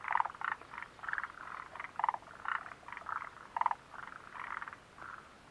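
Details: Frogs croaking near the Mitsuishi mountain refuge hut on 29 June 2013, a rapid sequence of clipped, throaty pulses in quick clusters, strong and close, with several animals answering one another without pause.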